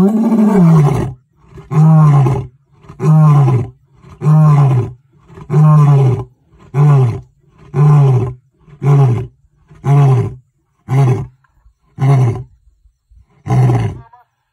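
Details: Zoo lion giving a long roaring bout: about a dozen deep, moaning grunts repeated roughly once a second, strongest at the start and growing shorter toward the end.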